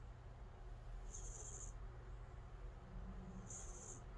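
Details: In deep sleep, calico cat Angttu gives two airy, high-pitched snoring whistles about two seconds apart, over a quiet, even low rumble.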